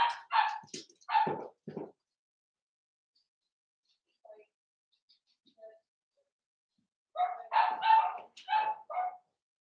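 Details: Young blenheim Cavalier King Charles Spaniel puppies at seven weeks, in an indoor pen. A flurry of yappy puppy barks opens, quiet follows with a few faint sounds, then another burst of rapid high barks.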